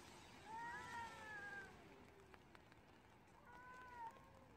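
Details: Stray cats in a fight during rain, two drawn-out wavering yowls, the first long and arching, the second shorter after a pause, with rain hissing steadily underneath and a few faint clicks.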